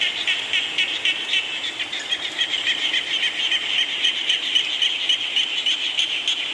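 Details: Frogs calling in the rain: a dense, steady chorus of high, rapid pulsed trills, with fine clicks repeating several times a second over a constant hiss of falling rain.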